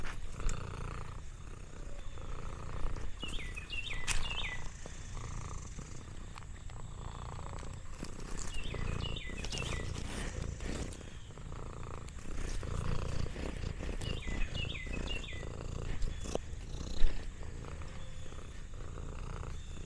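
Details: Lexi, an orange tabby cat, relaxing on a farm alongside old dogs: a steady low rumbling purr that swells in slow waves, with bursts of short rising bird chirps around four, nine and fifteen seconds.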